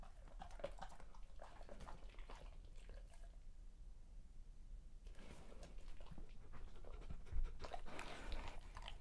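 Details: Great Pyrenees dog eating a birthday feast indoors, crunchy, wet and chewy sounds of irregular bites and munching, with a quiet pause midway and low panting-like noise in a small room.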